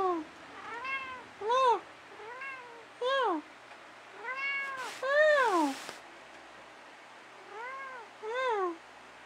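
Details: Pet cat Dusty meowing at night indoors in a back-and-forth exchange with his owner; around eight short, arching meows come in a loose irregular series, a few louder and sliding downward, with a brief rustle midway.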